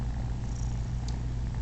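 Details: Male domestic cat purring while letting kittens nurse on him indoors; a deep, continuous, rumbling purr with steady low pulses and a brief faint click.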